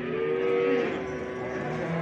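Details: Fattening calves for sale at the Çorum livestock market, Turkey, their owner absent; a sustained, even moo lasting about two seconds, with market bustle underneath.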